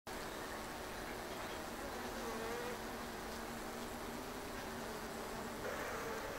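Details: Japanese honeybees in an observation hive on a shed ceiling in Japan, a steady droning hum with a faint tone near the low range, continuous throughout without pauses.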